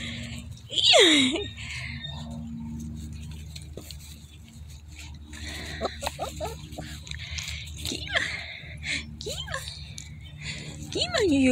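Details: A litter of German Shepherd puppies yelping and whining, one loud, sharply falling cry near the start followed by softer bent squeals and a final rising whine, while someone speaks nearby.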